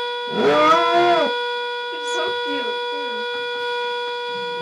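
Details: A two-year-old Border Collie, as every morning, howls to a whistling teapot, a short, arching howl that rises and falls over the steady whistling tone.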